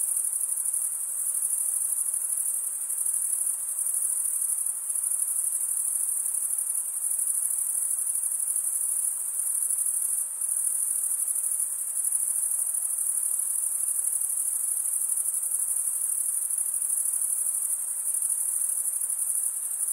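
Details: Male crickets chirping by stridulation: a continuous, high, silvery trill that holds an even level for twenty seconds, with brief slight dips in loudness and no other sounds.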